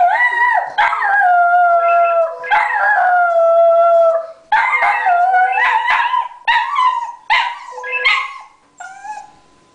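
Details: A female Border Terrier howls in long, wavering, sliding tones that break into shorter yelping cries, reacting to a ringing phone as she habitually does.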